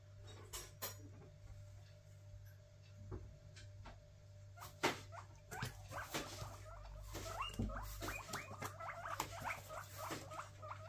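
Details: Pet guinea pigs indoors, excited about a food delivery, give a rapid series of short squeaky calls, building from scattered squeaks to more than a dozen quick repeated ones, mixed with soft taps and rustling, all fairly faint.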